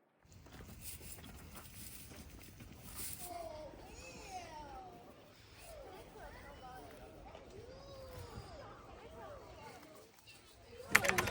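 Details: Wolfdogs at Wolfdog Forest in snow-covered Hokkaido, Japan, several voices overlapping in short, wavering, rising and falling tonal howls and whines layered together, with a sharp loud knock at the very end.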